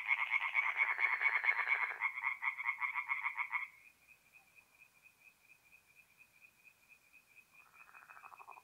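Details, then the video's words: Tree frogs at a forest pond by night in mid-April, north-east Italy: loud rapid rasping croaks for nearly four seconds, then a thin steady trill continues alone before a softer burst of croaking returns. "relaxing forest pond by night with singing tree frogs"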